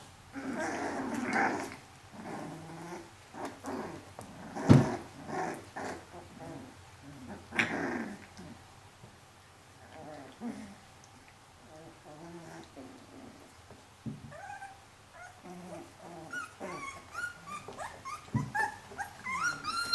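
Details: Four-week-old Pyrenean Shepherd puppy holding her own with her strong brothers, curious and exploring; low rumbling puppy growls through the first half, then short, higher whines and yelps toward the end, with occasional thumps.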